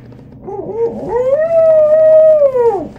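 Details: A toy poodle named Gucci "sings" along to a person meowing at her, a drawn-out, tuneful howl that rises, holds steady, then drops away.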